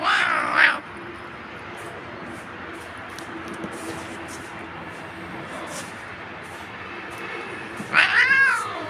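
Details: Pet cat just after being combed, letting out a clear rising-falling meow at the start and another wavering meow near the end, with quiet room noise and soft speech between.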